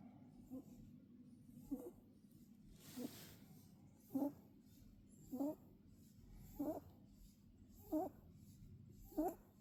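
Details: Sleeping pet rabbit snoring indoors: soft nasal snores repeated about every 1.2 seconds, each a short puff with faint upper tones, over a steady low room hum.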